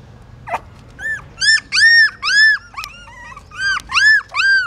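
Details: Hungry newborn puppies feeding from their mother in a pagoda stupa, Siem Reap, Cambodia; loud arched squealing whimpers, about two a second, each bending up then down, with short gaps between.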